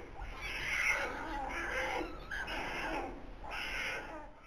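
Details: Two tiny newborn polar bear cubs, born 14 November 2021 to first-time parents Sizzel and Akiak, recorded in the birthing den at Zoo Rostock; harsh, rasping squalls come roughly once a second over a steady low hum.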